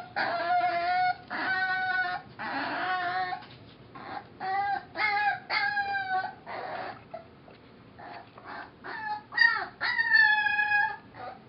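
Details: Six-week-old foster puppy Mo, later adopted as Molly, singing a long series of short yelping howls and whimpers, many notes rising then falling, irregularly spaced over about eleven seconds.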